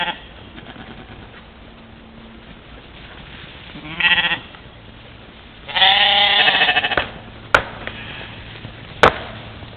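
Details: Camera-trap recording of a playing mouflon herd at a morning waterhole, Czempiń forestry, Wielkopolska, 13.07.2018; a short bleat followed by a longer, louder wavering bleat, then two sharp clicks near the end.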